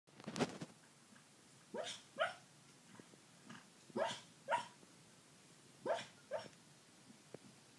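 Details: Sleeping dog dreaming, giving soft muffled woofs and whimpery barks in small clusters, about two every second or so with pauses, quiet indoor background.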